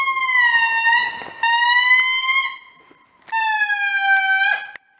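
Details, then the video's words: An indri gives long, siren-like wailing calls in the morning at Andasibe, Madagascar, steady and sustained with slight rises and falls in pitch. "Indri Call"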